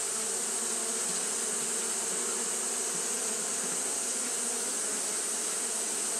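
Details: On a hot day Japanese honey bees fan nonstop, producing a dense steady hum with gentle flickers in the low buzz and a persistent bright hiss overhead.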